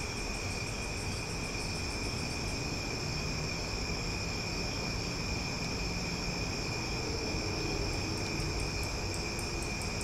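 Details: Summer night chorus of cicadas in Omaha, loud and relaxing: an unbroken high, layered droning hum holding several steady pitches, with quick ticking pulses at the very top early and late, over a soft low background rumble.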